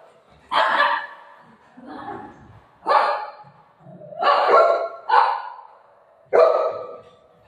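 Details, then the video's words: Pet dog indoors at home, golden retriever or shih tzu; six loud separate barks spaced roughly one second apart, each short and bright, with faint human voices between them. "dog barking video"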